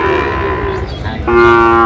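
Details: Sahiwal bull calves at a cattle market in Chittagong, Bangladesh, late January: two drawn-out, tonal moos, the first fading near the middle, the second stronger and steadier to the end, with faint market noise beneath.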